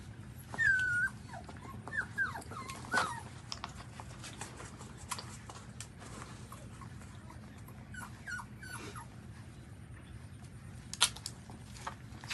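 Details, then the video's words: Newborn puppies suckling at their mother, giving high thin whimpers and squeaks that rise then fall, clustered near the start and again around the ninth and eleventh seconds, over a low steady hum and soft clicks of nursing. "Newborn Baby's Dog drink Mum's milk & Breastfeeding"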